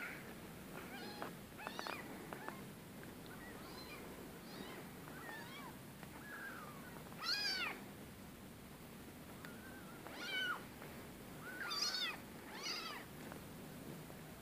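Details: Rescue cats meowing in a scattered series, faint short mews early on, then several louder, high, bending cries toward the end, over a low steady background hiss.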